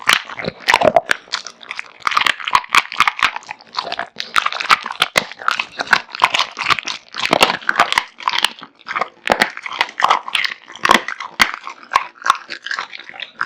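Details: Kotetsu, a male American Bully born 8 August 2016 and known as a big eater, devours a heaped meal of raw meat and bones indoors: dense, continuous crunching and wet chewing with sharp cracking bites, steady throughout.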